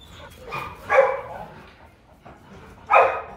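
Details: Rottweilers at the Rottweiler Gervi kennel: father Bruno, a young Latvian champion, meets his seven-month-old son Igor; two short, harsh barks about two seconds apart, with faint background noise between them.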